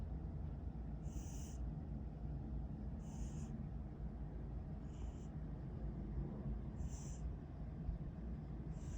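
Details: Sleeping cat snoring with short airy wheezes recurring roughly every two seconds, some fainter than others, against a constant deep low hum.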